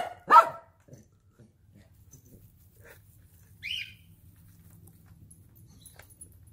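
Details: Excited German Shepherd annoying its puppies gives a single sharp, loud bark right at the start, followed by quiet, then a brief high squeaky chirp and a low steady hum in the background.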